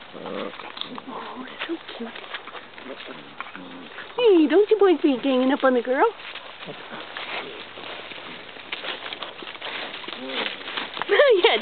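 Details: Several Basset Hound puppies, keen on their visitors, let out a two-second run of rising-and-falling nasal whines, then a final whine near the end. Quieter voices and shuffling noises fill the rest.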